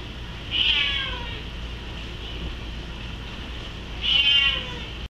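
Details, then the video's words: Male Bengal cat crying because he wants to go upstairs: two drawn-out, high, plaintive meows with falling tails, spaced about three and a half seconds apart, over a steady low hum. "bengal cries"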